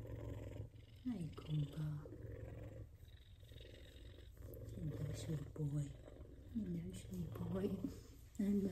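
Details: An F2 Savannah cat purrs in a steady low rumble while being petted and affectionate, as a person talks softly nearby.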